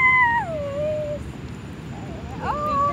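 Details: A harbor seal in Seattle gives a drawn-out, tonal wail that slides downward, then a shorter rising cry.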